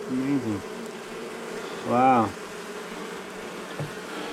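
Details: Agitated honey bees at a wall colony being cut out of a house at night, March 6, day one: a constant low hum with one loud bending buzz near two seconds as a bee sweeps past.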